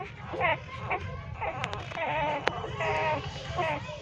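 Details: Newborn puppies, three days old, nursing hungrily in a pipe beside their street mother dog, let out drawn-out wavering whines and a few short squeaks, with sharp clicks and low rumble behind.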